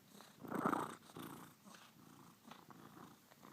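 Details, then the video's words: Following the camera, Nugs the cat gives one loud, rich meow near the start, then softer trailing murmurs and small shuffling sounds in a quiet indoor space. "Nugs meowing and following camera"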